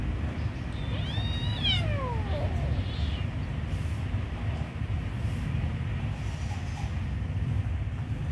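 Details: Kitten offered food gives one drawn-out meow that climbs then slides steeply downward, followed by a fainter short cry; heavy low traffic-like rumble fills the rest.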